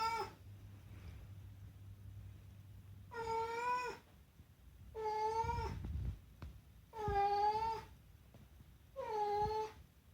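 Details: Talkative rescued house cat pleading with a series of meows: four drawn-out, clear, slightly wavering calls, each under a second long and spaced about two seconds apart, in a quiet room with faint low hum before the first.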